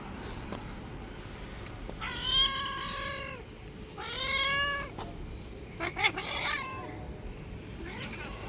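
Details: Angry white street cat bullying other strays: two drawn-out, tonal, wavering yowls about a second long each, then a harsher broken cry and a faint final whine, with low steady background noise.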